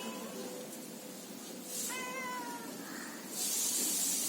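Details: Domestic cat from a male and female pair lets out one clear, level, slightly falling meow lasting under a second, set against steady background hiss and a rushing noise at the end.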